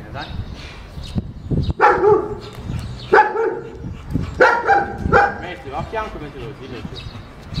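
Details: German Shepherd described as unmanageable, in a second training session with its owner, barks in a rapid, irregular series of four or five sharp, harmonic barks over several seconds, with background rumble and faint voices.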